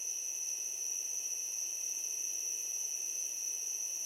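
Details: Crickets at night near a swamp fill the air with a steady, high, shimmering chirp that never pauses.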